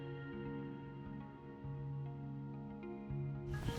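Soft, sustained ambient music with steady low tones and no animal sounds.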